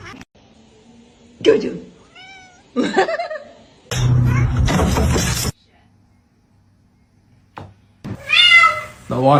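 A kitten gives several high, wavering meows, mixed with people talking and a burst of rushing noise.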